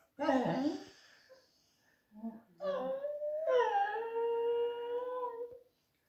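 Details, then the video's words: Young female beagle named Rexa complaining in a kitchen while asking for a snack she is not getting: a rough yelp, then a long wavering howl-like whine holding a steady tone for about two seconds before trailing off. "Does your beagle talk to you too?"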